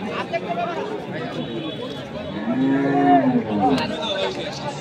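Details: Crossbred bull at the Saturday cattle market of Kaharol, Dinajpur, Bangladesh, on 5 January 2025, where bulls suited to farms are bought and sold. A low, drawn-out moo swells midway, over steady crowd chatter and bargaining voices.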